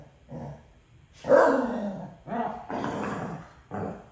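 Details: Pair of dogs quarrelling over a toy, trading a low rumbling growl that swells into a drawn-out, harsh vocal grumble, followed by shorter growly barks in quick succession.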